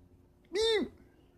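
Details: Domestic cat indoors, in a home where a new Bengal cat has joined a tabby; one short, clear, tonal meow that rises then falls over about a third of a second, against quiet room noise.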